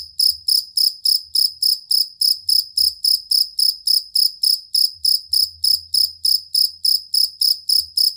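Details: Fighting cricket, or jangkrik kalung, whose steady, long song serves as a master for competition songbirds: a regular train of piercing high chirps, about three and a half per second, continuing without pause, with occasional faint low murmurs behind.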